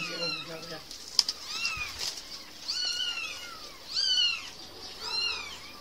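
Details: Baby cats at play meowing thinly over a hissy background, several high arching mews spaced about a second apart, softer and more distant than the background noise at times, with a faint knock near the start.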